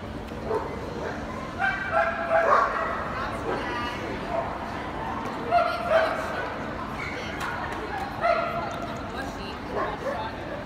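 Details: Barking from a young male Gordon Setter at the 2017 FEHOVA show, dated 17 February: irregular short barks, some in quick pairs, scattered through ten seconds of loud indoor crowd noise and nearby voices.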